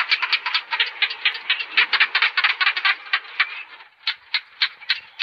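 A gecko gives a rapid run of dry, clicking chirps that slows into separate clicks about three per second near the end.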